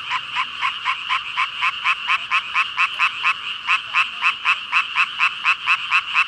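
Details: Among a chorus of roughly 5,000 frogs, recorded with a Rode VideoMicro, one nearby frog dominates with loud, evenly spaced raspy croaks, about three to four per second, over a softer background chorus.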